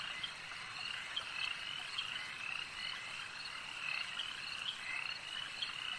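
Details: Frogs calling at a lake form a dense, continuous chorus of high, trilling croaks, with brighter pulsed notes standing out about once a second over a steady hiss of overlapping voices.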